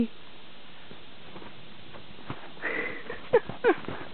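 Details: Karelian Bear Dog puppy Brewski playing in snow in a back yard, sniffing in quick soft breathy bursts, with a few louder, sharper snorts near the end.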